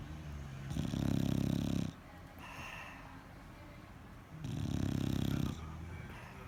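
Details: Sleeping bulldog snoring: two long, low, vibrating rattles about three seconds apart, with quieter nasal breathing in between.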